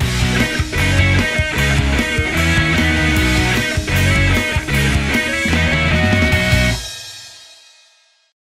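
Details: Loud rock music with driving guitar and drums plays, then fades out into silence near the end, with no animal voice heard.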